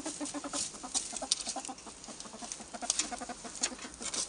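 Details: Albino ferrets, more than one, giving quick clucking pulses in a dense, uneven string with sharp clicks and rustles mixed in.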